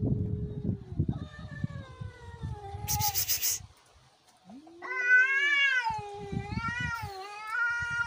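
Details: Cats fighting: long, wavering, drawn-out yowls with rich overtones, low rumbling growls underneath, and a sharp hissing burst in the middle before a second rising and falling howl.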